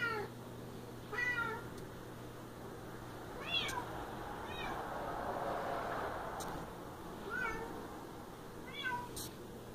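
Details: Siamese cat meowing indoors: short, harmonic-rich meows with falling or bending pitch, about six calls spaced irregularly across ten seconds, over a steady low electrical hum and faint room noise.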